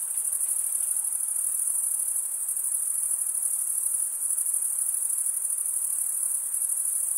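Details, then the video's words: A steady chorus of stridulating male crickets forms a constant, thin, high-pitched ringing trill with no pauses, set over a low, soft hiss. "Most relaxing cricket sound for 8 hours"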